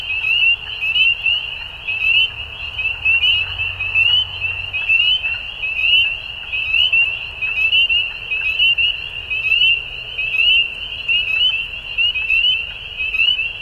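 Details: Frog chorus at dusk, many callers giving shrill, quick-pulsed notes in an unbroken high band, swelling and easing roughly once a second, with a soft low hum beneath.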